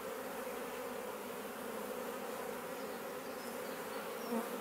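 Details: Garden bait hive in Leicestershire, England, occupied by a honey bee swarm in June, bees flying in and out; steady low hum of many bees, a single louder bee passing near the end.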